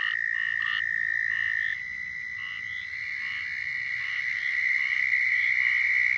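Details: Southern toads in Florida give long, steady, high-pitched mating trills, one voice handing over to another slightly higher one.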